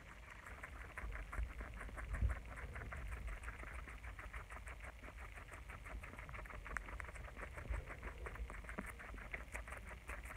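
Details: Pet guinea pigs eating lettuce, a steady run of quick crunchy clicks and rustles from munching, fairly even through the whole stretch with no calls standing out.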